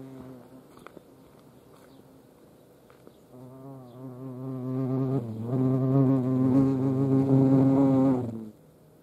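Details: European hornets at a feeding place in Dohr, Eifel, Germany: after a quiet start, a low droning wingbeat buzz with a stack of harmonics swells in and grows louder, holding steady for about five seconds before cutting off.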